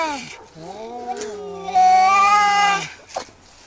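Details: Fighting cats: a short cry, then one sustained, slightly rising moan that swells louder and holds steady for over a second before cutting off, with a faint thump afterwards.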